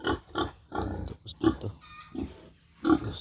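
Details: Pig in a backyard pen in the Philippines, a future breeding sow, giving short rough grunts in quick bursts about every half second, with a brief pause and some faint background sounds.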